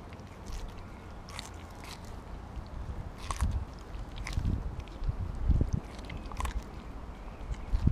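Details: Kobi, a Siberian Husky, gnaws through a whole raw mackerel, usually given in smaller chunks; repeated crunching bites and wet chewing, growing louder toward the end, with sharp clicks of teeth.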